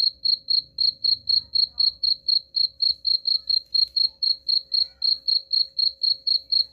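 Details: A cricket chirps in a recording meant to scare off rats. About twenty-seven crisp, high-pitched pulses repeat evenly, roughly four each second, with faint low rumbling beneath.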